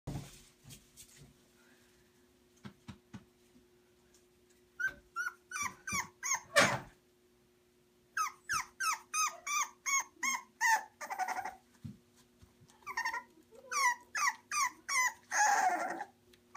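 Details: English Bulldog puppies; runs of quick, squeaky whimpers and yelps, about three per second, with pauses and some scuffling noise between bursts, indoors with a faint steady hum.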